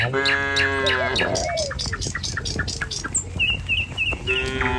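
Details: Tame cattle walking in a line along a village road to the pen in the morning. A long moo opens, a second one starts at the end, with repeated bird twitters and faint footsteps between them.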